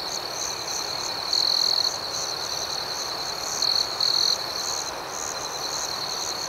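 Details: A nocturnal chorus of crickets: an ongoing high, rhythmic pulsing trill, punctuated by three louder sustained buzzes, one after a second and two close together around four seconds.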